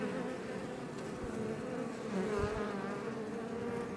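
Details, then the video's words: Western honey bees, Apis mellifera iberica, buzzing in front of a Langstroth beebox near Roquetes, Catalonia, Spain: a short, steady, dense hum of numerous bees, with one nearby bee briefly droning louder in the middle. "Bees Healing Sound Effect HD - Up Close"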